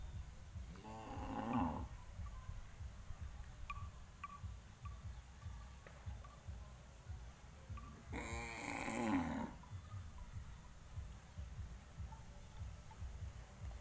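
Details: Farm cattle gathered on a road before heading out to pasture, lowing twice: two drawn-out, harmonic moos of about a second each, roughly six seconds apart, over low rumbling background noise.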